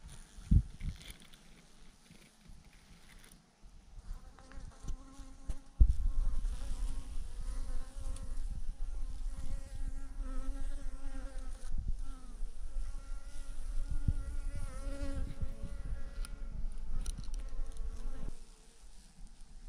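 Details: Thousands of honey bees hang in a massive swarm clumped on a branch, their dense buzzing a steady hum with layered tones that waver and overlap, plus low rumbling noise and occasional knocks.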